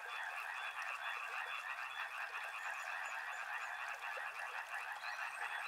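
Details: Many frogs calling together near a river: a thick mat of fast, rattling croaks, roughly three pulses a second blending into a steady churning drone, with faint high chirps scattered over it.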